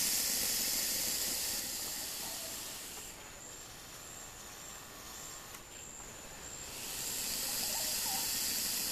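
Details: Defensive boa constrictor at the Lodge at Pico Bonito, northeastern Honduras, April 2017: a long, breathy, hissing rush that fades over three seconds, a quieter stretch with a thin steady whine, then a second strong hiss from about seven seconds.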